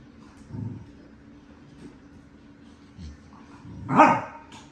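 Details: Excited dogs reacting on seeing a whelping box: a single sharp, loud bark near the end, after a couple of soft low thuds and quiet indoor background.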